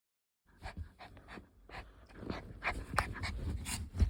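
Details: Puppy panting while playing: quick, breathy, irregular puffs about three per second after a brief silence, mixed with soft rustling and low thumps that grow louder toward the end.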